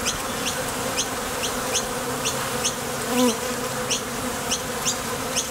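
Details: Foraging honey bees coming and going at a Top Bar Hive entrance, wings driven by thoracic muscles; a continuous low hum runs throughout, topped by sharp, quick high ticks at irregular short intervals.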